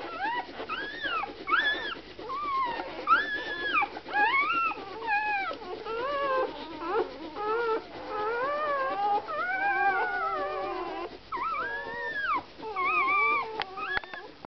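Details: Samoyed puppies giving a long series of high, tonal whines and little howls. Each note bends up and then falls, and the notes come in quick uneven succession, sometimes overlapping as several pups call together, over a quiet background.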